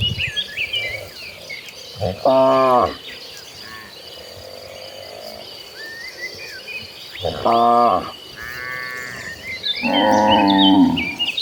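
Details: Cows in a herd of dozens moving toward green pasture give three short, separate moos spaced several seconds apart, with steady bird chirps and twitters filling the gaps.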